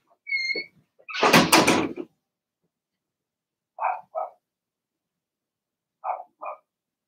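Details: Cavalier King Charles Spaniel puppies from Remy's first litter of six Blenheim pups, indoors in a home puppy pen. A high squeal and a loud clattering burst come first, then two pairs of short, yappy barks a couple of seconds apart.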